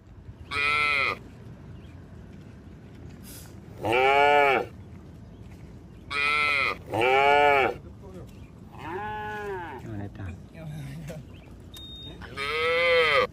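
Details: Tame cattle moving as a herd down a mining road to a green village, lowing repeatedly: about six rich, harmonic moos, each near a second long, two coming close together, one softer, over steady outdoor background noise.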